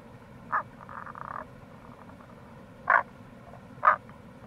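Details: Rana tagoi, Tago's brown frog, recorded in April beside the Kamo River gorge in Itoshima, Fukuoka, Japan: three short, loud croaks spaced irregularly, with a softer drawn-out rasping sequence early on and a constant low rushing background.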